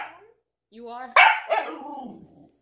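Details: Pet dog being pranked indoors, answering with a sudden loud, harsh bark after a short rising whine, followed by a second softer bark trailing off; a person's voice nearby.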